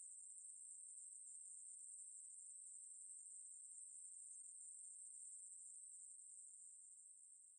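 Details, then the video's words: Ruspolia katydid, recorded by a national biological resources institute in 2020, giving a continuous high-pitched buzzing trill without pause, steady and unbroken throughout, with no other sounds. "매부리, 여러번 듣기, 곤충소리"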